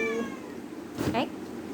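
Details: Domestic cat meowing indoors: a short level mew, then after a pause a quick rising-falling meow overlapping a woman's speech.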